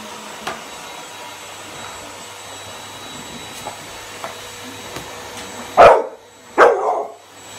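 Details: Eight-month-old American Bully puppy playing with a birthday teddy bear: after several seconds of quiet with faint knocks and a steady background hum, two loud barks come close together near the end.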